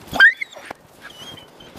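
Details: Dog during a mating visit between the stud male Sobol and the female Taina, who first allowed him near and then fought him off, in snow: one short, loud, rising whine, then faint rustling.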